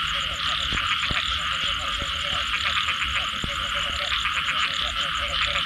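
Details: Post-rain frog chorus: quick clucking notes in dense overlapping series, a few sharp clicks, and a bright high-pitched trilling background that swells and fades.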